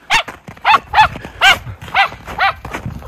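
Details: Miniature Schnauzers Lucky and Levi, two brothers, play in tunnel trails dug through deep snow in Aroostook County, Maine, January 22, 2023, after two weeks of snowy weather; seven sharp, bright barks come roughly every half second.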